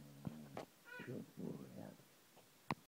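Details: Samson, a Border Collie, indoors, trained to say hello: a short high whine near one second, then three low, drawn-out, hoarse vocal bursts forming his hello, with a few clicks and thumps around them, faint and quiet.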